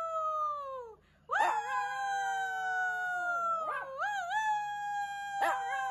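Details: Shih Tzu howling with a falling first note, then a long sustained howl that wavers and breaks into wobbling bends near its end, over a faint low hum.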